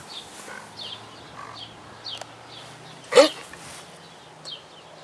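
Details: Debarked dog prompted to speak gives one short, hoarse, raspy bark burst midway, breathy rather than ringing, while small birds chirp high, quick repeated notes throughout and a low steady hum runs underneath.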